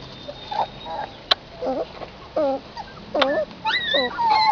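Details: Nursing puppies outside with their mother make short separate whimpers. The bent, wavering squeals come in bursts about every half second and end in a louder, higher run of whines.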